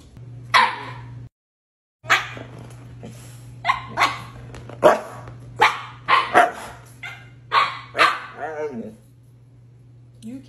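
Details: Siberian Husky indoors arguing back at its owner over being refused ice cream: a run of short yowling, bark-like bursts about every second, some wavering in pitch, with the owner talking in between and a steady low hum throughout.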